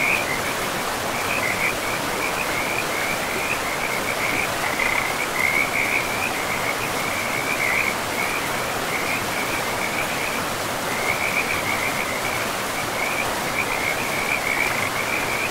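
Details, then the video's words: Frogs calling beside a river deep in a pristine forest of trees and moss-covered land: short pulsed croaks at one steady pitch run almost without a break, pausing briefly near the tenth second, over a constant rushing of river water. "River and Frogs sleep sounds 10 hours"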